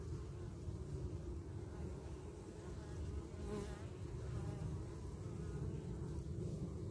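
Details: Carniolan honey bees defending their hive entrance against a wasp; an even, low droning buzz throughout with a faint higher whine in the middle.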